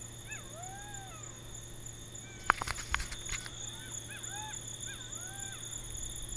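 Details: Golden jackals howling on a moonlit night in Nagorno-Karabakh, close to the unstable border with Azerbaijan: several overlapping wavering, arched wails and yips rise and fall together, over a steady high-pitched hum, with a brief burst of sharp clicks midway.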